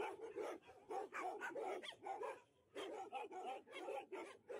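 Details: Alaskan Malamutes at a stray dog rescue shelter in Harbin, China, singing to welcome a visitor: rapid, yodelling, harmonic barks and howls in bursts, with several dogs overlapping and a short pause midway.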